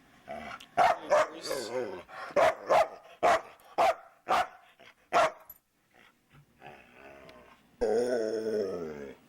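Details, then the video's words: Luca, a chatty foster dog, lets out a rapid series of sharp barks, roughly eight in five seconds, followed by softer low grumbling and then a longer moaning howl at the end. "The MANY Sounds of Luca"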